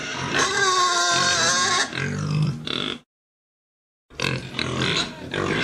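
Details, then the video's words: Pig squealing in a long, shrill, strained cry for nearly two seconds, followed by rougher grunting squeals, a one-second silence, then another burst of noisy squeals. "Tiếng con heo kêu"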